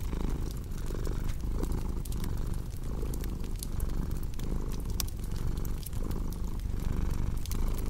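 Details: Deep, vibrating cat purr in regular breathing cycles close to a second apart, with bright clicks and pops of a crackling fireplace throughout.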